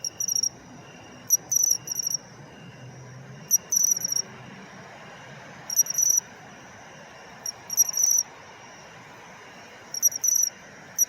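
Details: Autumn song of a pine cricket (matsumushi), a species said to be dwindling in urban areas; sharp high 'chin-chirorin' phrases of a single note then a trill of pulses, spaced roughly every two seconds, with soft low rumble behind.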